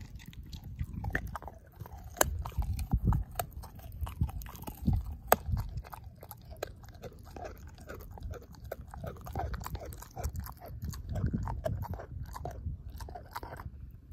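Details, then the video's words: Ozzie the dog devouring a pork steak, jaw chomping and mashing the bone: dense, continuous crunching and wet chewing with sharp cracking clicks scattered through, steady throughout, indoors. "Dog Eating Pork Steak"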